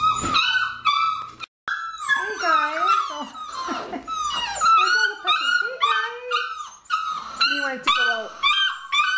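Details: A litter of nine Labrador Retriever puppies aged six weeks gives a busy chorus of shrill whimpers and squeals, some bending up and down in pitch, with a brief pause early on and faint human voices.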